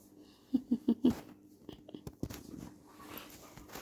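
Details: Pet dog indoors, playing at night, gives four short, low grunting growls in quick succession, then falls quiet amid soft rustling and handling noises in a small room.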